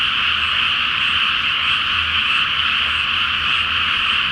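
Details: Frogs in a great chorus at night in a flooded rice field before planting, full moon reflected on the water; dense continuous croaking blends into a steady high-pitched wall of sound with no pauses, a faint low hum beneath.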